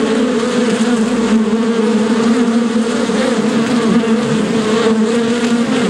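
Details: Steady droning of a bee, an even low hum with a slightly higher companion tone, pitch drifting a little up and down across six seconds of continuous buzzing.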